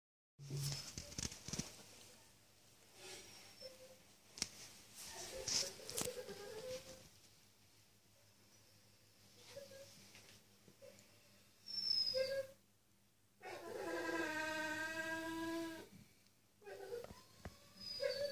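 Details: A male Staffordshire Bull Terrier, in the dark and thinking he was alone, gives drawn-out, tonal, crying whines during an anxiety attack, rising and falling in pitch.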